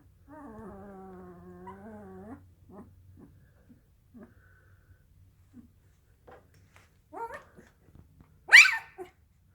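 A sleeping Dalmatian puppy gives a long, wavering whine, then soft snuffles, small yips and a sharp final squeak.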